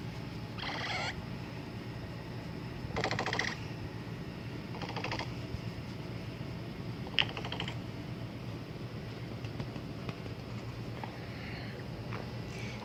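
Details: A capybara gives short bursts of rapid, rattling clicks, spaced a couple of seconds apart, signalling that he wants to go to sleep.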